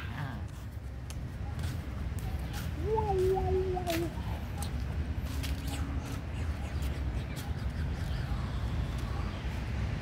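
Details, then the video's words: Little abandoned puppy, hungry and begging for food, gives a short wavering whimper that jumps up, wobbles briefly and trails off, followed by a faint fainter whine, all against steady low background rumble. "New little abandoned puppy hungry asking food from me"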